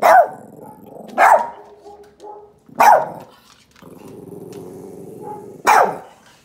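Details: Pet puppy reacting to a recording of another dog barking; four sharp, loud barks come at irregular gaps, with low rumbling growls filling the pauses between them.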